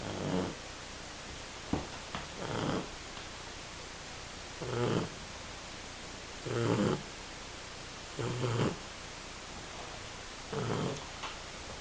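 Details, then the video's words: Loud snoring from a 10-week-old female Shar Pei puppy fast asleep: six harsh, breathy snorts at roughly two-second intervals, some raspy and gurgling, separated by near silence. "shar pei puppy - Lily sleeping -snoring loudly"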